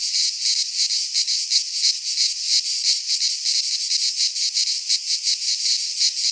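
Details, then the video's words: Greek pine forest in midsummer, where a chorus of cicadas gives a steady, hissing drone that swells and dips in rapid pulses, nearly three per second. Nothing else is heard. "Cicadas singing in midsummer - Nature sounds from the Greek fauna - Sounds of cicadas"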